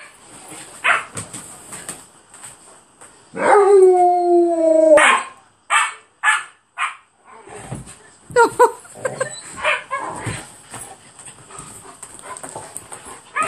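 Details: Two Alaskan malamutes, River and Swatch, playing king of the castle on a bed on their third day together; soft grunts give way to a loud, drawn-out harmonic woo, then a burst of short yips and grumbling play growls.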